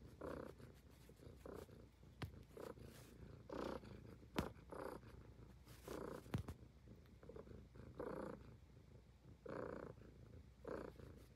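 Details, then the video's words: A Highland Lynx cat purrs steadily while grooming, with soft rhythmic pulses swelling and fading. "Cute Cat Purring and Grooming l ASMR l Highland Lynx Cat"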